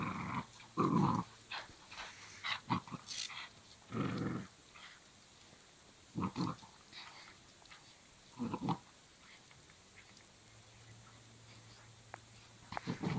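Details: Belgian Malinois puppy growling during a rope tug game, short low growls in bursts spread over the recording, separated by quiet gaps with faint rustling and handling noises.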